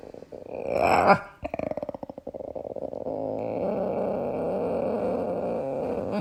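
An Old English Bulldog gives a rising, groaning vocalization followed by a quick run of snorting grunts.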